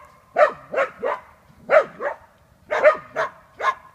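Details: Working a wild boar, the hunting dachshund Chuka gives clusters of two or three strained, hoarse barks, each cluster separated by a brief pause.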